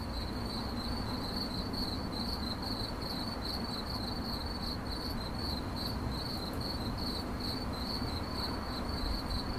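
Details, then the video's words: A cricket chirps in 8D audio meant for sleep and meditation, giving quick, evenly spaced high pulses, roughly three each second, unbroken for the whole stretch above a steady low broadband rumble. "CRICKET CHIRPING"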